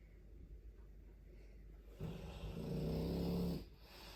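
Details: Sleeping Dogue de Bordeaux snoring: quiet breathing first, then one long, deep, rumbling inhaled snore lasting about a second and a half before it fades back to soft breaths.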